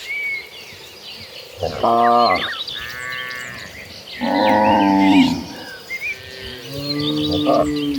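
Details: Cattle herd on the way to green grass fields, calling with several moos: a short broken low, a longer strained bellow, then a softer rising moo, with chirping birds steadily above the herd.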